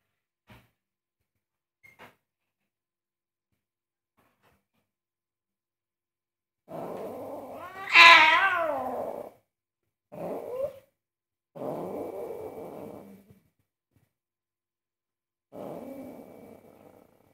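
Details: Angry pet cat objecting to its owner cooking: a long growl swells into a loud, rising, wailing yowl, then breaks into shorter snarling growls with pauses between them. Faint clicks sound at the start of an otherwise quiet indoor room.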